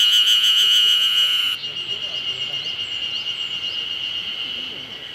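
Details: Terpnosia nigricosta cicada singing at the start of summer; a loud, steady, pulsing high-pitched drone that holds a sharp tone throughout, strongest in the first second and a half, then continuing slightly softer.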